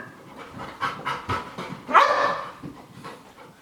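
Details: Panting gives way to a single strong, slightly rising bark as Sky, a pet dog, shows fear-of-missing-out anxiety while Gem plays games and tricks. A trainer calls to the other dog in the background.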